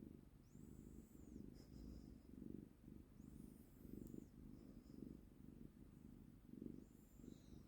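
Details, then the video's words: Cat enjoying being held, purring: deep throbbing rumble pulsing in and out with its breathing, plus occasional faint high whistled chirps from elsewhere. "품이 죠아 구룩구룩"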